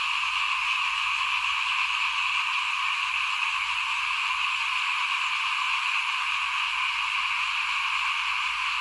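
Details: Chorus of frogs outside a house while rice is being sown for planting, 2021; a continuous shimmering wall of calls persists unchanged for the whole stretch, with faint low rumbling underneath.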